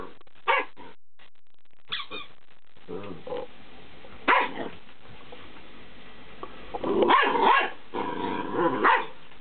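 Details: Twelve-week-old fox terrier pup at play with a cheap squeaky ball; scattered yips and barks over a noisy background, with a longer rough burst of growling barks near the end.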